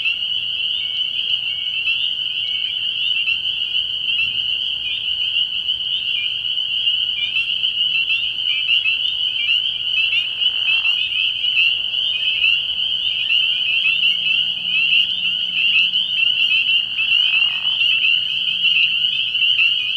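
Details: Spring peepers calling from a frog pond at night early in the year, a dense unbroken chorus of high, shrill peeps overlapping so thickly they merge into a steady ringing wall of sound, with a few brief lower rustles.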